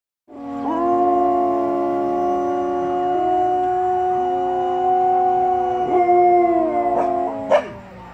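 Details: Samoyeds howling in harmony: several sustained, tonal voices overlap at different pitches and hold steady with slight glides for about seven seconds, closing with a couple of sharp, higher yelps.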